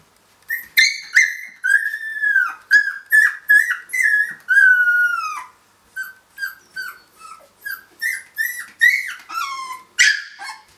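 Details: Three-week-old Finnish Lapphund puppies at play after breakfast give a steady series of high whining yelps, several each second, some drawn out and falling in pitch, others short and sharp, with soft shuffling underneath.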